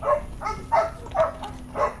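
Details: Belgian Malinois Warwolf, being trained, emits eager, clipped yips, four prominent ones spaced about half a second apart, with faint softer whimpers between them.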